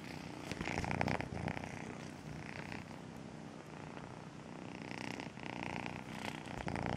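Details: A continuous grainy purr from Melissa, a domestic cat taken in as a two-month-old kitten, swelling near the start and again toward the end.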